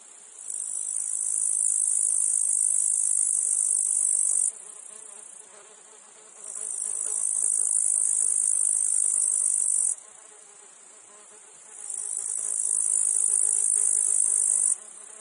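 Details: Cicadas in a meadow field with flies around produce three long, shrill buzzing bursts. Each swells in, holds for about four seconds and ends sharply, separated by quieter stretches of insect hum.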